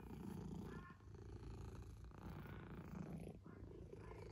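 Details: Close, steady purr of a domestic cat, a low pulsing rumble with a short dip before the rhythm resumes, and faint rustling behind.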